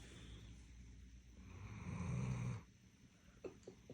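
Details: Vader, a pet Doberman in deep sleep, gives one low rumbling snore of about a second that swells and then cuts off, followed by a few faint clicks in a quiet room.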